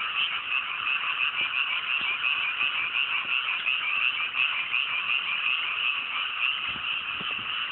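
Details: Night chorus of many frogs in chilly rice paddies in the hills after planting season, clear sky: rapid pulsing croaks blend into a constant high-pitched chorus, a few soft knocks underneath.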